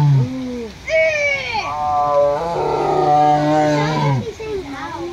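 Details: A female tiger at Fresno Chaffee Zoo, recorded in 2007 after closing to the public, gives a deep, drawn-out roar, a rich moaning tone held steady before fading, after drinking, eating and pacing.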